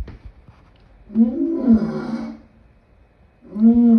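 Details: Lion roaring in two bursts, a long harmonic-rich growl of about one and a half seconds followed by a second roar starting near the end; low, throaty and strongly voiced with pauses of silence between.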